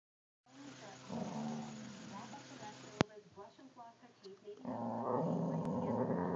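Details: Two boxer dogs squabble over a wiffle ball, trading low rumbling growls and short snarls that rise and fall in uneven bursts. Louder, rougher growling builds toward the end, with human voices underneath.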